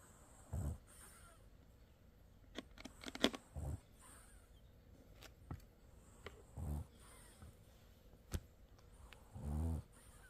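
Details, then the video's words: French Bulldog sleeping with open eyes, snoring softly: four low, grating snores spaced about three seconds apart, with some clicking and tapping sounds and the hush of a small room in between. "프렌치불독이라면 코골이 기본장착"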